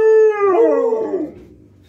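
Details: Two Alaskan Malamutes welcome their owner home after a day of work; one gives a drawn-out howl of greeting, starting level and then wavering downward.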